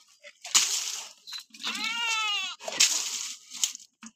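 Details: A goat being bathed with shampoo, letting out one loud, wavering bleat lasting about a second, with a quavering tremble through it, framed by a woman's voice speaking before and after, and splashing and handling noises.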